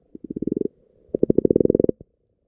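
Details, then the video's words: Low purring croaks of frogs underwater in a pond where frog spawn is appearing: two quick runs of evenly spaced pulses, about a dozen each, separated by a short pause. "Frogs Croaking in the Pond, Underwater with the Frogs"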